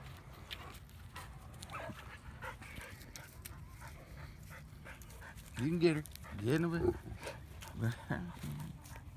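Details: Winston, a dog being trained at a dog park, loud and defiant: a few harsh, rising barks and grumbling vocalizations in the second half, following a quiet stretch of a man's voice and outdoor background noise.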